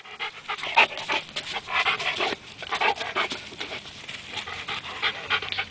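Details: Rhodesian Ridgeback dog during a retrieving game, uneven excited panting with breathy bursts, a person nearby asking if it wants the toy.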